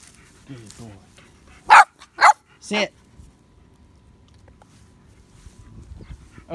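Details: A baby Boxer, Samson, in training gives a soft whine, then three sharp barks in quick sequence, the last one lower and rougher, followed by quiet room sound and faint voices.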